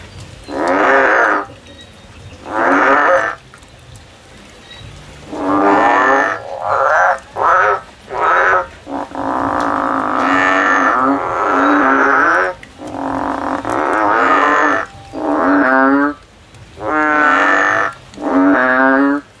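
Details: A frog climbing a tree, looking for a way out, calls loudly with rich, nasal, rapidly pulsed croaks in bursts of about a second, which midway run together into a longer rattling trill.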